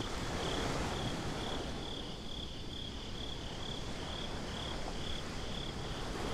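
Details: Nighttime beach crickets in a binaural recording give a high chirp in evenly spaced pulses, about three every second, over a dense low wash of surf and wind.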